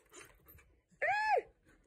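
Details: A dog, either a Border Collie or a German Shepherd, gives a single loud, tonal bark that arches up and falls away, asking for treats.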